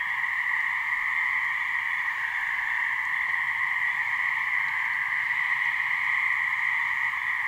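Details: Gray treefrogs (Hyla versicolor), a couple of males giving mating calls in a swamp in New Hampshire: a steady, unbroken trilling drone with a strong high band and a lower band, continuous throughout.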